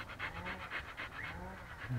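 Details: Siberian Husky in Pleven, Bulgaria, panting steadily: quick rhythmic breaths at about four per second, each a soft breathy burst, with a faint low hum underneath.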